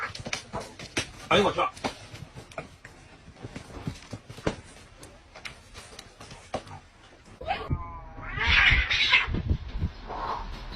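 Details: Cats fighting: a stretch of irregular thumps and scuffles, then from about eight seconds a harsh, noisy screech and hissing yowl, with a fainter wail following.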